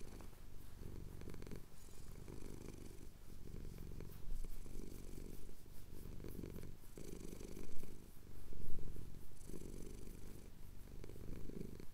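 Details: Low, steady purr of a male cat having his chin scratched at sunrise in the Cotswold hills, captured with a Tascam DR-07X; deep rumble swelling and easing with each breath roughly every two seconds, some close rustling.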